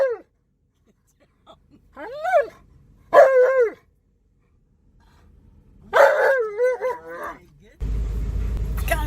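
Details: Alaskan Malamute named Tonka, excited while riding in a car around a park, gives several short arched howling whines with strong harmonics, separated by pauses, ending in a burst of car and engine noise.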